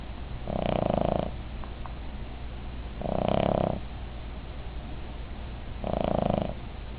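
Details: Sleeping female Cavalier King Charles Spaniel snores as loud as a person: three rough, buzzing inhalations, each about three-quarters of a second, repeating roughly every two and a half to three seconds over a steady low background hum.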